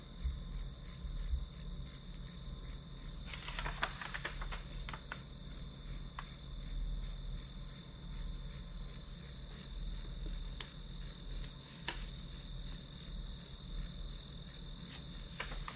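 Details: Grass insects calling as ambient backdrop for a one-hour study session: a steady, high, pulsed chirping, about three pulses per second, runs throughout, with scattered clicks and knocks near four and twelve seconds over a low hum.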